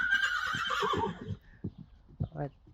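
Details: Whinny of a Friesian horse at lunging practice: a harmonic cry that slides gradually downward over about a second, followed by short snorting puffs and soft thuds, with a person's voice nearby.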